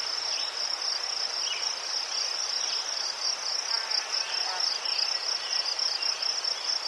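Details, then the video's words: Soothing Ukrainian cricket chorus amid chrysanthemums, a dense high trill of rapid pulses, with occasional faint lower chirps and soft background hiss. "Заспокійливий звук цвіркунів//The soothing sound of crickets"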